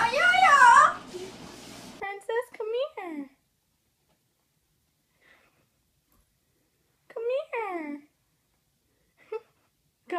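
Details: Cat meows, indoors in a small room: several clear falling, harmonic cries arrive in quick bursts around two to three seconds and again near seven to eight seconds, with a loud voice at the start and silence between calls.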